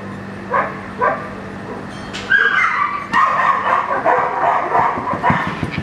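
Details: In Schutzhund 1 protection practice, young German Shepherd Echo starts with two isolated barks, then breaks into loud, crowded, overlapping barking with some higher yelping tones.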